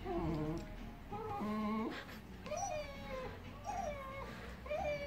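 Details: Siberian Husky confused at meeting a German Shepherd puppy, the family's new addition. It makes wavering, whiny howl-like tones, several short bent notes in about five seconds over a faint indoor hum.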